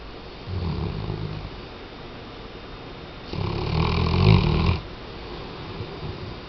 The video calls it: Weimaraner-Tchesco Roncando 1